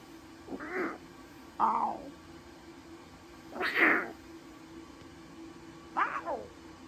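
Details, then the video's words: Newborn captive lion cubs at Taigan, a brother and sister, calling with four brief, bright mewing cries spaced one to two seconds apart, the third loudest, over low steady hum. "Новорождённые львята - разговорчивое чудо!"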